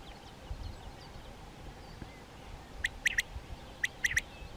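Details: European ground squirrel (Spermophilus citellus) living in a colony, day-active, communicating by voice: two quick bursts of three short, sharp, clipped chirps in the second half, over low steady rumbling background noise and faint distant bird notes.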